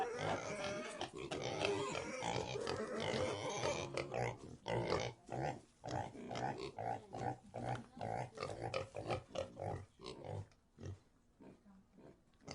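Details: Several pigs in a pigsty grunt almost continuously, a dense chorus of rough snorts and squeals at first, then breaking into separate, rhythmic grunts roughly twice a second.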